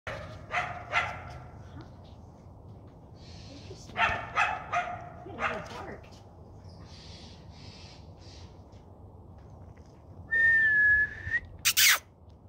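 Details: Coyote barking: short, harsh, harmonic barks in a quick burst at the start and a second cluster a few seconds later, with quiet gaps between; a steady whistled tone and a sharp noise near the end.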